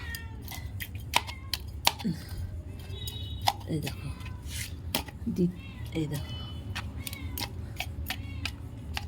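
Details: Several cats being fed boiled fish with rice give short rising and falling meows, two or three standing out midway, while a person talks over them throughout and sharp clicks and knocks punctuate the scene.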